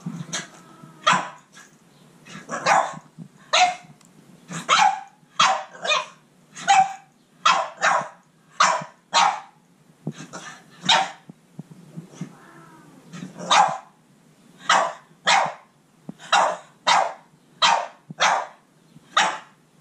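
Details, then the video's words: Rosy, a Boston Terrier, yelling at Panthro the cat: a long run of sharp, loud barks, mostly in quick pairs or singles about half a second apart, with brief quieter breaks and a soft low growl between bursts. "Rosy the Boston Terrier yells at Panthro the cat."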